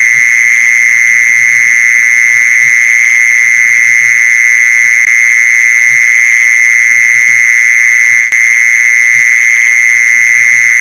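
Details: Lure recording of mole crickets: a seamless, steady, shrill buzzing trill at one pitch throughout, a sharp click near the end, and soft irregular low thuds underneath.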